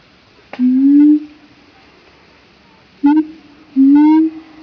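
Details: Siamangs in Opole Zoo, Poland, calling loudly. Three separate slurred, rising hoots stand out against a quiet background, the first long, then two shorter ones close together.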